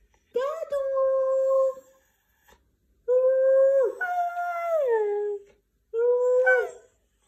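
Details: White husky vocalizing in three long, moaning phrases: the first held level, the second stepping up then gliding down, the third a brief rising whine, each with clear pauses between.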